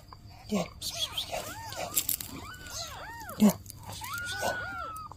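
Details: Mother cat with newborn kittens, meowing as she asks for help: a run of arched, rising-then-falling mewing calls, some short and one long drawn-out cry, with faint rustling and a low background hum.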